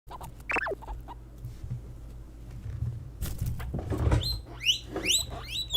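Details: Pet guinea pigs, females of Peruvian, English and Teddy breeds, vocalising when they sense something. A few squeaks open, then a rustling, thumping stretch, then sharp rising whistled squeals return toward the end.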